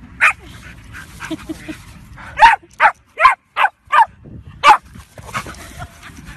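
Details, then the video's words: Bulldog barking: a couple of isolated yaps, then a quick run of six sharp, punchy barks roughly half a second apart, with faint room noise behind. "Funny Bulldog Videos Compilation 2017 || Bulldogs Compilation 3"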